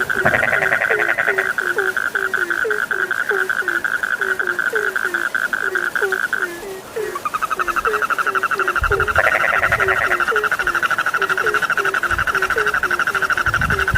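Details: Sleep-inducing frog calls, low knocking croaks repeated roughly twice per second over a bright, sustained trill that pauses briefly and returns.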